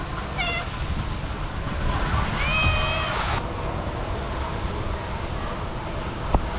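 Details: Female street cat crying and asking for food; a short high meow near the start, then a longer wavering, harmonic-rich meow around two and a half seconds, over steady low rumbling background noise.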